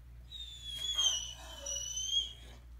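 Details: Max, a pet Great Dane, complains indoors about getting out of bed after his afternoon nap: a long, thin, high-pitched squeaky whine that wavers and swells twice over nearly three seconds, with a steady low electrical hum behind it.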